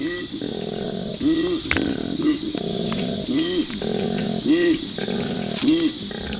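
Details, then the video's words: A male koala in Australia calls for a female at a food forest, bellowing with rasping snore-like inhales alternating with deep, resonant belching grunts. "and it's a male one it's calling for the female koala"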